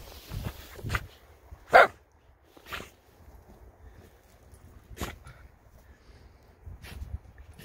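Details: American Akita puppy barking and jumping on a golden retriever rolling in snow, outdoors in winter; a few sharp single barks spaced a second or more apart, with a quieter muffled yelp, rustling in between.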